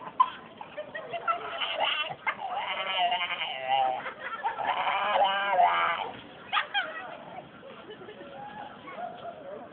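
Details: Dog that swallowed a squeaky toy, waiting outside a shop for its owner in Gloucester city centre, filmed on a phone: bursts of high, harmonic squeaking wheezes come in runs, with people laughing, talking and urging it to sing.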